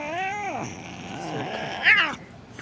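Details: Bengal mother cat beside her kitten gives two meows as the owner reassures her: an opening drawn, falling cry, then after a pause a shorter, brighter meow that rises and drops, over low background hum.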